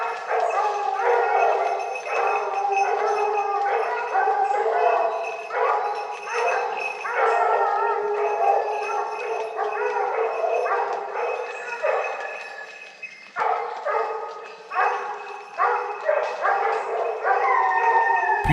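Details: Hunting pack including Tina baying at wild boar held at bay during a Cévennes drive hunt; a long stretch of repeated, overlapping howling bays from several dogs, roughly seventy per minute, with a short lull near thirteen seconds.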